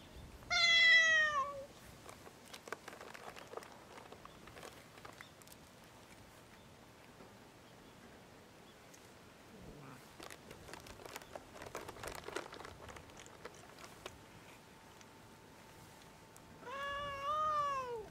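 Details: Hungry free-roaming cats on Japan's Cat Island, gathered on the steps of the island's only store while being fed; two loud, drawn-out harmonic meows, one at the start and one at the end, with rustling and handling noises between.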